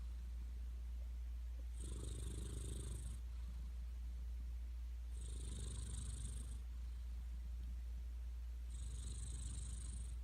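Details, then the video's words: Cat asleep and snoring: three slow, breathy snores about three and a half seconds apart, airy hiss on top with a low rumble beneath, a constant low hum running throughout. "고양이 코골이cat snoring"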